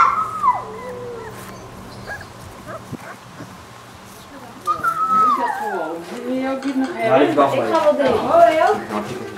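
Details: Alaskan Malamute puppies aged 26 days, Ciqala's litter at Sakima Kiwidinok, 20 September 2009: a falling whine opens, then quiet, then a rising chorus of wavering, overlapping yelps and howls building toward the end, with background voices.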